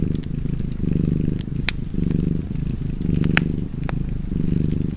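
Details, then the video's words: Contented cat purring by a fireplace, a rolling low vibration pulsing with its breathing about once per second, overlaid by sparse sharp clicks and pops of the fire. "Purring Cat and Fireplace"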